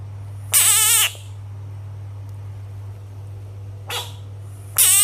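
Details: A bullfrog gives shrill, harmonic-rich screams of about half a second: two loud ones and a brief faint one between them, over a steady low electrical hum.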